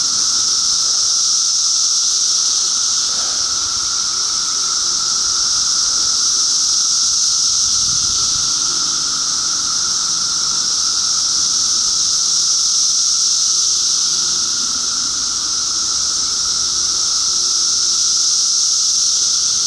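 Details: Cicadas in 2013, a loud continuous chorus: a high, even shrill hiss with a fainter steady tone beneath it, unbroken throughout, with faint low rumbling in the background.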